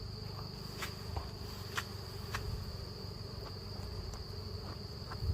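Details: Honey bees at a hive being taken in the forest: a steady, low droning hum of many bees runs throughout, with a thin high whine held in the background and a few faint ticks.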